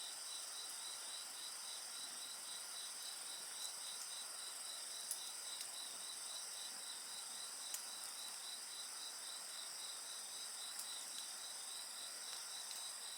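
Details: Continuous chorus of insects with a bonfire: evenly pulsing high chirps, roughly four per second, over layered steady trills, and faint scattered pops from the flames.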